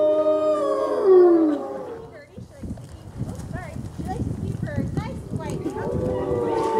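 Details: Gray wolves at a Colorado wolf and wildlife center during a full moon feeding tour on November 17th, 2013: long harmonic howls slide downward in the first two seconds, then scattered short yips and chatter with broadband noise, possibly voices.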